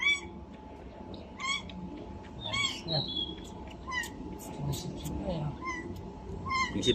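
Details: Two-day-old domestic kitten with irregular high mews, some short and some drawn out, scattered among soft rustling and low voices in the background.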